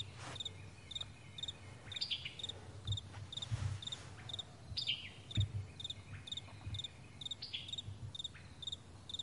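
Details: Crickets on a vast meadow in the morning, recorded in May 2020, giving short high pulsed chirps in a steady train about twice a second, with faint descending bird-like notes and a low continuous rumble underneath.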